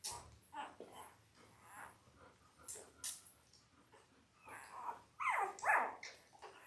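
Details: Newborn Labrador Retriever puppies, five days old, from mother Belle's Christmas-named litter born October 15, 2023. Soft peeps and rustling build to two loud, wavering whimpers close together near the end, with a faint hum beneath.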